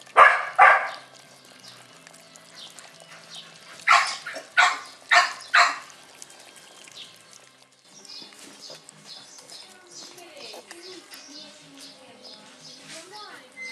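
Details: Australian Cattle Dog puppies, six weeks old and from one litter, give two quick high yaps, then a run of four shrill barks about a second apart, before the rest settles into faint rustling and soft squeaks.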